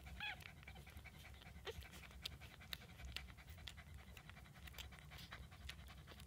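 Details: Newborn Shih Tzu puppies, one day old, from a litter of seven, feeding well; a brief high harmonic squeak near the start, then soft wet clicking and smacking from nursing over a low steady rumble.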